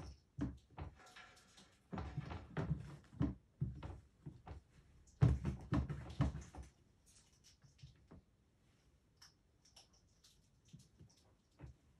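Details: Indoor knocks, thuds and cupboard or door bangs come in bursts, loudest in the first seven seconds, then fade to scattered light taps in a small room; no animal voice is heard.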